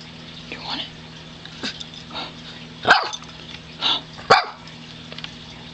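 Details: Mazi, a pet dog, begging for her treats with odd growling noises: four or five short, harsh, noisy bursts spread over a few seconds, the loudest two near the middle and end, over a steady low indoor hum.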